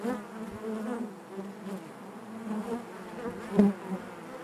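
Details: Honey bees droning together inside the hive, a continuous low buzzing with wavering overtones and one loud close buzz near the end.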